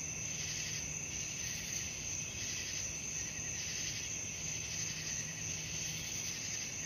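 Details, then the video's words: Nighttime crickets heard as a calming sleep soundscape: continuous high, piercing trills with rhythmic pulsing swells, accompanied by a faint steady low hum. "suara jangkrik malam"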